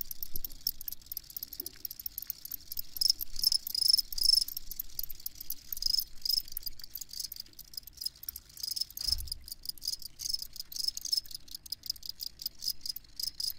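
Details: Crickets chirping in a steady, continuous chorus: shrill, high-pitched pulsed chirps repeating rapidly over a hissing insect background, with a brief low thump near the nine-second mark.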